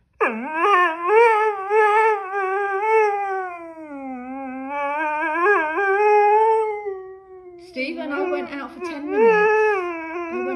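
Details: Dog fussing at its owner about being left alone for ten minutes: a long, drawn-out whining howl that rises, dips and wavers in pitch almost continuously, breaking into choppier, vocal-like yowls near the end.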